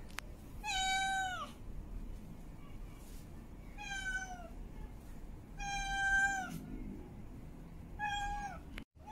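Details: Female cat in heat calling for a mate: four drawn-out, harmonic-rich meows, each about a second long, sliding slightly downward at the end, with quiet gaps between and a low background hum.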